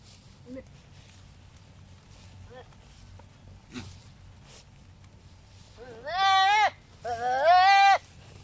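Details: Philippine native goats ready for breeding, showing male and female behaviour during mating; after soft background sounds come two loud, quavering, nasal bleats, the second longer and wavering, each under a second.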